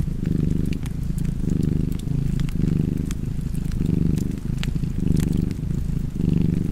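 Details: Domestic cat purring beside a crackling fireplace: a deep, steady rumble rising and falling about once a second with each breath, while sharp pops and snaps of burning wood sound over it.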